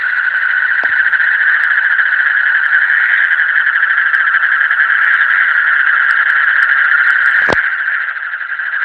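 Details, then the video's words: Night-time frog chorus, deep in the night, forming a thick continuous trill of fast pulses. A couple of brief sharp knocks cut through, and a thin high tone runs faintly overhead. "Call of the frog in the deep night"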